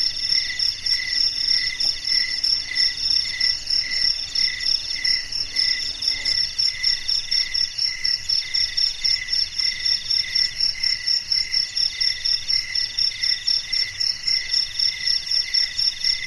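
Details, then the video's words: Crickets calling at night in a garden, a dense steady chorus of high pulsed chirps roughly four per second, with a faster shimmering trill above and a faint low hum fading out midway. "Suara Jangkrik di Taman Malam Hari | Relaxing Cricket Sounds in a Night Garden"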